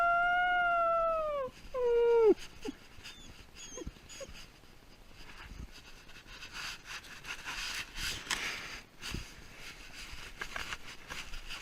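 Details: Pet dog left alone as its owner leaves, giving long, drawn-out howls that slide downward in pitch for about two seconds, then a few brief whimpers, with soft rustling and background noise afterward.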